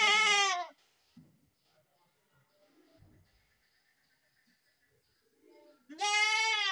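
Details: Two goat bleats, one fading at the start and another beginning near the end, loud and harmonic with a bowed pitch contour, separated by a long quiet stretch holding faint scattered sounds.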